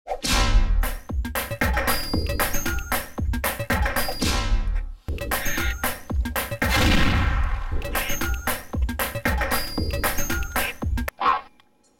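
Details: Electronic music loop with metallic dings, clangs and sound effects, and no animal voice.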